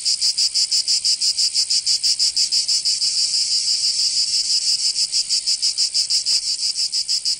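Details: Cicadas in Provence, southern France, during summer: a loud rasping high buzz broken into fast, evenly spaced throbs roughly three per second, with one brief faint click near the end.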